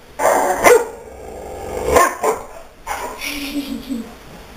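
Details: Pet dog named Daisy barking in short bursts, two strong barks about a second apart followed by softer yips, with a person's voice faintly mixed in.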